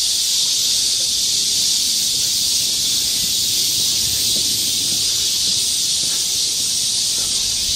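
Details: Seoul's Galsan Park forest in midsummer, with a crowd of cicadas producing a strong continuous high whirring hiss that stays level from start to end, with scant other sound beneath.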